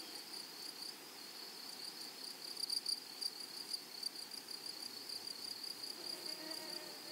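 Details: Grasshoppers of a flowery prairie meadow: a shrill, pulsing high trill that swells into louder, sharper bursts around three seconds, then settles back into an uneven rhythm.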